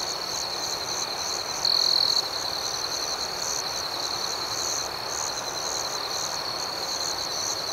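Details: A dense chorus of crickets at night forms a steady, high, rapidly pulsing shimmer. One louder, half-second high trill stands out briefly near the two-second mark.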